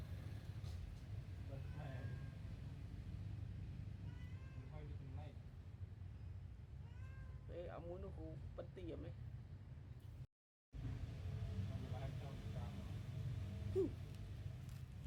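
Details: Newborn kittens suckle from their mother cat, squeaking in short, high mews that come in clusters. A brief silent gap falls partway through, all over a continuous low background hum.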